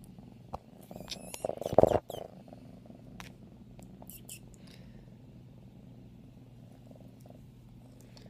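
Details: A 5-month-old female F1 Savannah cat purrs steadily while being held, a low continuous rumble, with a brief rustling burst near the start as she wriggles and moves around wanting to play.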